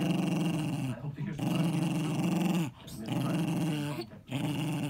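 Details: A possessive Jack Russell Terrier named Eddie, aged ten, acts the bully while protecting his ball. Three deep, throaty growls break only for quick inhalations, and each rumble swells and fades steadily.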